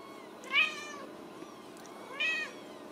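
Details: Ragdoll kittens raised indoors in a central Kansas home cattery, at supper time: two bright, harmonic meows about a second and a half apart, each rising then falling, over a low steady room hum.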